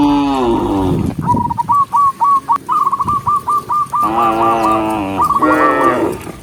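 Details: Dozens of cows walking along a forest road give deep, drawn-out, harmonic-rich moos, with a run of quick high chirping notes between them.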